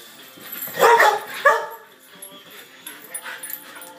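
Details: Australian Shepherd freaking out and not happy: two loud, strained harmonic yelps close together near the start, then softer broken whines fading over the following seconds.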